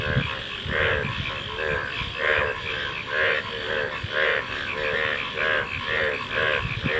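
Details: Frog calls in a slower rhythm, roughly one throaty double-toned croak per second, several frogs overlapping over low background rumble.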